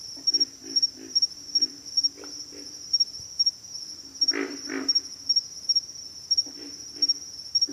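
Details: Pig frogs giving low, pig-like grunts in short bursts, the loudest double grunt near the middle, while a steady high insect trill pulses throughout.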